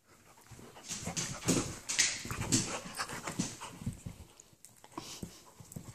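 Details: Excited Labradoodle puppy Bernie playing gently with Brutus, an Italian Greyhound puppy, indoors; quick breathy panting about twice a second with soft whimpers and rustling of the two puppies.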